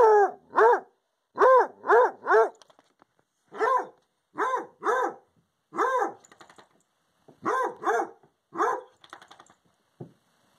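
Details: Bursts of arched, ringing bay-howls from a Redbone Coonhound sounding off at a visiting porcupine, delivered in pairs and triplets with short gaps, fairly irregular rhythm.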